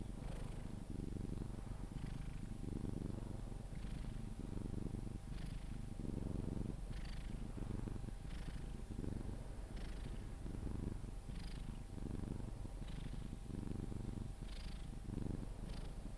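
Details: Pepe, a Sphynx cat, purrs continuously during cuddles until falling asleep: deep, even rumble rising and falling with each breath, about every one and a half seconds, with faint soft rustles over the top.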